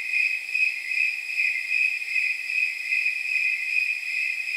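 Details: Snowy tree crickets chirping at night, the temperature judged around 79 degrees: a continuous high, bell-like trill with softly blurred pulses repeating quickly and evenly.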